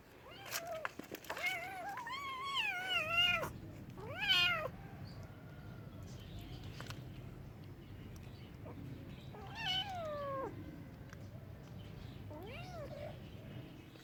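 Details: Cats meowing repeatedly, about five separate meows that are wavering, whiny and rising-then-falling. Two come close together near the start and more are spaced further apart later, over a steady low background hiss and rumble.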